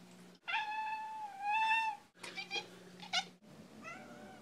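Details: Female pet cat meowing: a long drawn-out meow of about a second and a half, steady then slightly rising, followed by a choppier broken call and a short falling mew, harmonics clear against a faint indoor hum.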